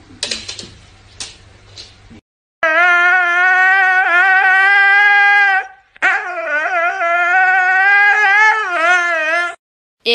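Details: Siberian Husky giving long, drawn-out wavering howls with rich harmonics, two sustained vocal stretches of several seconds each, rising and falling slightly in pitch, after a few short noises and a pause.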